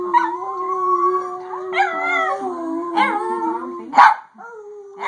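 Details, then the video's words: Chihuahua howling along with its owner: long sustained wavering tones rich in harmonics, a low steady voice under higher rising and falling howls, restarting every second or so, with a brief harsh burst near the four-second mark. "Talking with the chihuahua"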